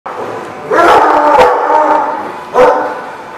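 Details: Several dogs barking in a kennel-like lot, recorded December 18, 2015; overlapping harsh barks and yips in a busy, reverberant chorus, with a fresh loud bark near the end.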